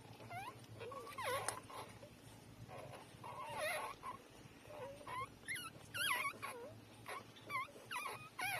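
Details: Newborn puppies, three days old, nursing from their mother, giving high squeaky whimpers that rise and fall in short wavering bends, repeated irregularly through the clip, with soft shuffling in the background.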